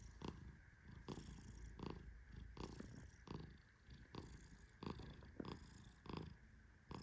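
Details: Male Persian cat fast asleep while gently petted, giving a soft low rumbling snore with breathy pulses repeating about every three quarters of a second, each pulse also carrying a faint higher rustle.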